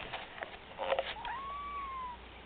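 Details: Male house cat answering its owner's talk with a single long, drawn-out meow that rises and slowly falls, after brief rustling and a woman's voice.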